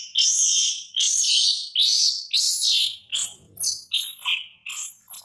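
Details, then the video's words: Infant monkey crying loudly as its mother warns her and weans her: about seven harsh, shrill screeches in quick succession, each under a second, the later ones breaking into thin rising and falling squeals. "Baby Mila Warns And Weans Her Till Crying So Loudly Sound"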